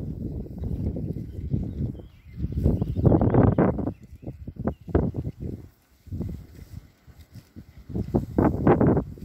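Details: Berkshire pigs enjoying a fresh paddock: bursts of deep grunts and snorts in clusters, separated by short quiet gaps, loudest around the third second and again near the close.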